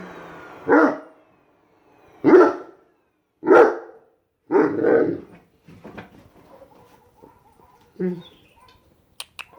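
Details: Seven-month-old Great Dane barking at a vacuum cleaner indoors: four loud, deep, rough barks roughly a second apart in the first five seconds, then softer scattered noises and one more short bark near the end.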